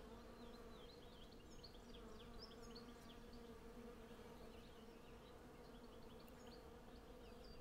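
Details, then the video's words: Hundreds of western honey bees collecting honey from a blossoming cherry tree, recorded with a Zoom F6 and Sennheiser MKH 8040 stereo pair: a dense, steady, low droning hum with layered overtones, while faint chirping birdsong flickers above throughout. "Honey Bee Sound Library"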